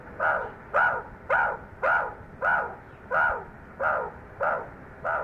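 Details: Meerkat giving a steady series of short, harsh, barking calls, about two each second, each a rich harmonic burst rising and falling, with no other sounds in the background.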